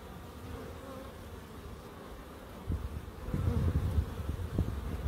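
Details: In a small garden in Crookes kept for wildlife, bees give an even, unbroken drone, while gusty low rumbles and thumps build up and get louder in the second half.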